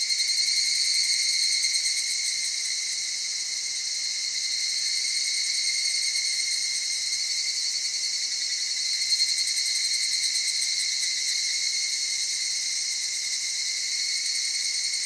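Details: Soft, melancholy evening cicada voice from cedar woodland and highlands of Okutama, Tokyo, Japan, around dawn or dusk; a sustained high shrill with slight pulsed throbbing at the start and near the end.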